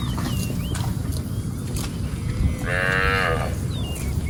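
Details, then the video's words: Cattle grazing as they roam a rice field; one flat, steady moo lasting under a second near the end, preceded by faint chirps and low continuous rumble. "Suara Sapi Lembu Lucu"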